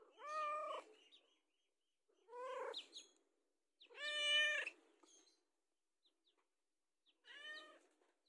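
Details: Domestic cat begging for food, four short meows spaced about two seconds apart, each rising then falling slightly, rich in harmonics, with faint clicks between calls.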